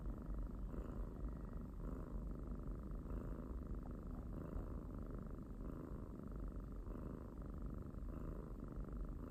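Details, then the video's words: House cat purring, a dense low vibrating drone sustained throughout, rising and easing slightly in rhythmic waves about once a second with no other noise. "找到了小貓咪呼嚕引擎開關！！|Found the kitty snore engine switch! !"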